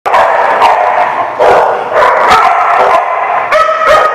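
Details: Dogs barking, recorded 4 November 2017: several overlapping harsh barks and yelping calls in quick succession, one voice sliding into a short whining tone, with no quiet gaps.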